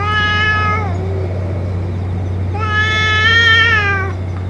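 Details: Stray cat, the boss cat of a colony, after eating food and medicine: two long meows with rich harmonics, the second starting near 2.5 seconds and held over a second, above a steady low hum.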